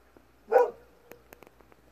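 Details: One short, sharp bark from Kohaku, a Golden Retriever, answering a distant fox at dusk. A few soft clicks follow in a quiet background.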